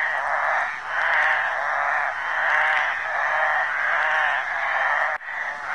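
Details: Flat-backed toads calling during mating in a suburban creek in Lusaka, Zambia: a dense, rasping, buzzy chorus, mid-pitched and unbroken, swelling and fading about once a second, with one brief dip near the end.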